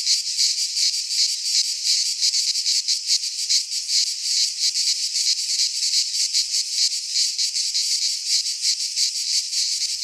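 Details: Singing cicadas in a Greek pine wood at midsummer produce a high, grating, throbbing drone, pulsing a little under three times a second, slightly uneven in strength, with no other sounds present.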